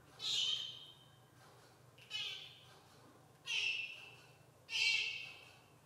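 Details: A jaguar cub saying hi with four drawn-out, shrill mewing calls, each falling slightly in pitch and lasting about half a second, separated by gaps of over a second.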